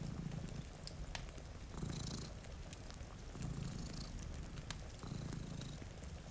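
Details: Low, throaty purring from two cats asleep by a rain-streaked window near a crackling fire. Rhythmic bursts roll in roughly every one and a half seconds, under scattered pops from the fire and a light hiss of rain.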